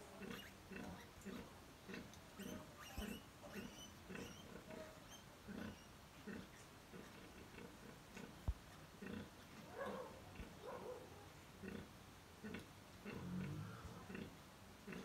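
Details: A sow and fourteen piglets competing to feed: soft, low grunts repeated about twice a second in a steady rhythm, with occasional higher squeaks and snuffles over quiet background.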